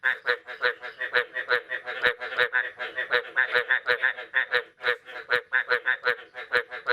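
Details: A thick chorus of frogs on the morning of 9 May 2022 after the first rain of the year; harsh, nasal, pulsed croaks overlap densely, with scattered sharp clicks.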